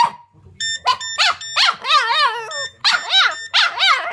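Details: Boston Terrier kept as a pet, howling with a ringing phone: a run of short, wobbling yelping howls, several rising and falling in quick succession, over a steady, high electronic tone from the phone.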